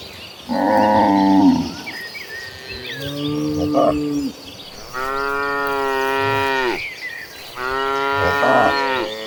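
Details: A herd of tame cattle walking toward green pastures gives deep, drawn-out moos with rich harmonics, some rising then sliding down, several animals calling one after another, each lasting a second or two.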